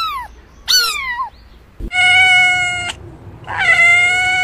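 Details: Cat sounds: two quick descending mews, then two long, steady, drawn-out meows held at an even pitch, each lasting about a second.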